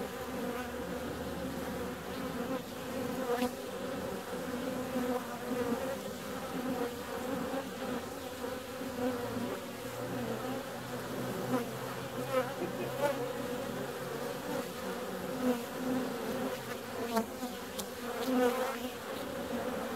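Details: Warm February day with bees out, a dense, unbroken buzzing hum of many insects over twenty seconds, a soft deeper rumble joining in the middle, and occasional light taps and passes.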